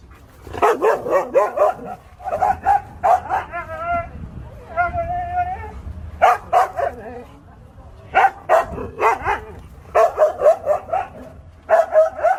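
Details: Siberian Husky giving rapid bursts of yelping barks, about four a second, in short groups, broken by a brief wavering howl-like tone midway, with low rumbling in the background.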